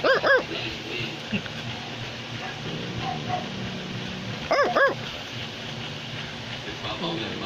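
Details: Australian Labradoodle, a Labrador and Poodle mixed breed, gives two quick double barks several seconds apart over low household murmur and speech.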